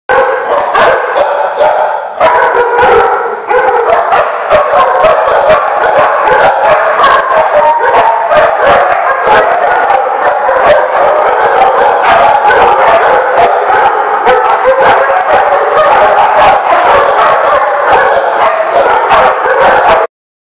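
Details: Many dogs barking together nonstop in a kennel-like setting, recorded December 29, 2014; dense overlapping barks and yelps fill the whole stretch at high loudness, a continuous chorus with no pauses until it cuts off abruptly.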